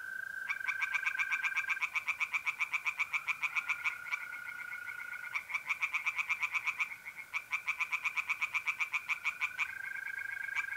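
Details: Night chorus of tree frogs in a north-east Italian pond in April: repeated bouts of fast, rattling croaks, several seconds each with short breaks, above an unbroken, level trill of mole crickets.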